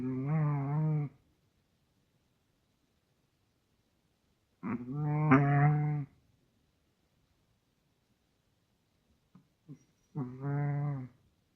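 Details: Snores from a sleeping Russian Toy Terrier come as three steady, low, humming, nasal breaths, each about a second long and spaced roughly five seconds apart, with tiny snuffles just before the last one.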